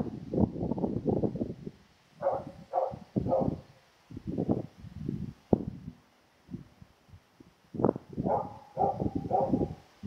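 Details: Female Karelian Bear Dog, filmed June 2016, asking for more friendly attention: short groups of tonal, wavering whines separated by stretches of rustling, snuffling and movement noise.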